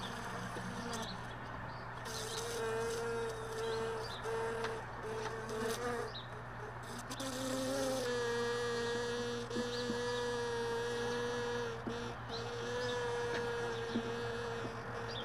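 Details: Honey bees lingering around hive boxes left all day in a truck bed, early morning as extracted supers are sorted: a steady droning buzz with overtones, holding one pitch for seconds, fading and swelling as bees fly close, over a constant low hum.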